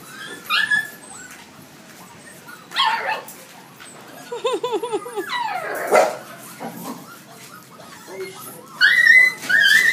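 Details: Huskies at feeding and playtime, giving scattered short barks, whining yelps and a quick run of arched, rising-falling yips midway, with sharp high cries near the end amid general clatter.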